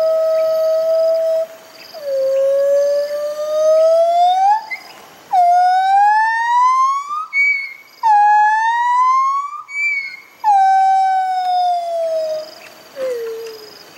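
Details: Duet of two white-handed gibbons, Bella, a confiscated female in rehabilitation, answered by Dexter: clear tonal hoots sliding steadily upward in repeated phrases, several ending in short higher whoops, with brief gaps between notes.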